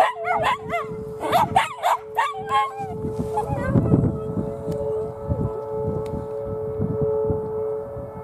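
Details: Two Miniature Schnauzers, Bella and Lilly, give a few short rising howls and yips at the Oklahoma City Saturday noon siren test, then fall quiet, leaving the siren's steady tone and low rumbling noise.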